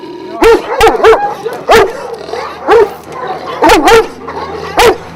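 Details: Several Šarplaninac guardian dogs from a Vujanski-line kennel in Jasika, near Kruševac, bark in sharp, loud bursts, some doubled or tripled, about every half second, with overlapping barks from the group.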